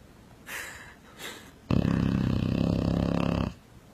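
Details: Sleeping dog with two soft breaths, then a sudden loud, vibrating snore that rattles steadily for nearly two seconds and sounds like a revving motorcycle.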